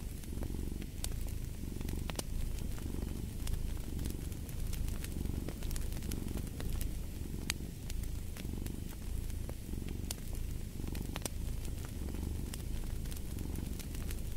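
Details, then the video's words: Cat purring beside a crackling fireplace: a steady low rumbling purr with rhythmic swells about every second, overlaid by sharp pops and snaps of burning wood. "Fall asleep to the Purring of a Cat & Fireplace"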